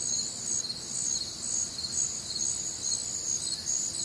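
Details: Crickets on a warm, humid Midwestern summer night: a steady, shrill chorus of many insects in layered high-pitched bands, pulsing in a fast, slightly uneven rhythm over a faint low hum.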